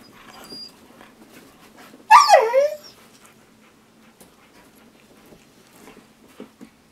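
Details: Siberian Husky teased with treats, giving a single brief high whining yelp with falling, wavering pitch amid quiet household background.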